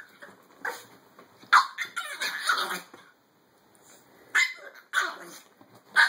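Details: An aggressive Chihuahua yaps in short, sharp, high-pitched bursts, several clustered barks, then a pause of about a second before more snappy yips resume near the end.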